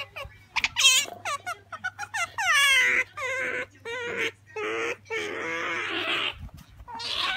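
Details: Female pet otter Sakura asking for jerky, mixing quick high chirps with longer, steady whining squeals held for about half a second each.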